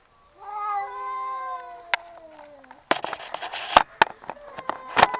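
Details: Cats talking indoors: a long, gently falling meow lasting about two seconds, followed by a burst of scratchy noise, clicks and short knocks mixed with a softer meow.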